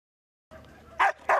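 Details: Domestic dog barking: after a brief stretch of low background murmur, two short, loud, sharp barks about a third of a second apart.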